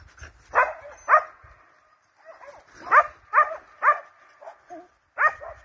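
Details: Hunting hounds and Russian-European laikas chase a wild boar, giving loud, hoarse barks in irregular bursts, some doubled, with short pauses between.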